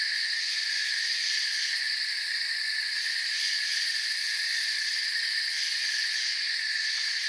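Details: Crickets in a forest ambience: a steady, dense high-pitched chirping chorus in several stacked bands, continuous and unbroken, with no other clear sounds.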